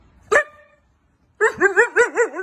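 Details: Siberian Husky, a pet dog called Wulf, indoors: one sharp bark, a second of silence, then a run of five or six wavering, rising-and-falling yips that sound like talking.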